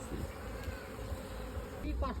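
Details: Honey bees at a beekeeping site kept in modern two-storey hive boxes for honey production; a dense, low droning hum fills the short stretch, with a man's voice breaking in near the end.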